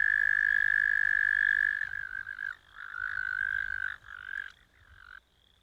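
An American toad gives a long, steady, musical trill, then several shorter trills.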